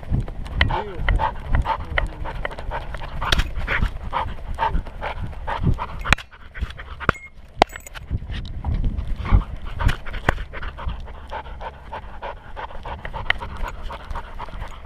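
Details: Skyline, a curious Welsh Springer Spaniel puppy hiking at Enchanted Rock near Fredericksburg, Texas, recorded by a GoPro on his collar: rapid, rough breathy panting that runs on steadily, with crunching footsteps, rustling and a brief human voice early on.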